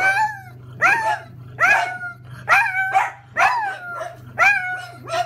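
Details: Pug howling and barking as a grocery delivery arrives: five loud, harmonic yowling calls, each sliding up and then falling, repeated about every second over a steady low electrical hum.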